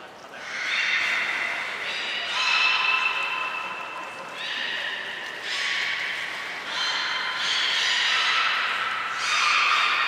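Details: Captive belugas Hodoi, Taanya and Mirai, Port of Nagoya Public Aquarium, recorded 23 February 2021 while being moved between pools and trained; a run of repeated nasal, harmonic squeaks and drawn-out tones, roughly one every second or two, with room echo.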